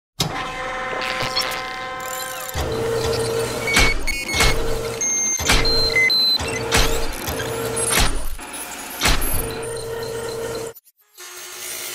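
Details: Car and vehicle noise with electric window whirring, steady tones and clicks, faint music in the background, no animal voice; a brief silence near the end.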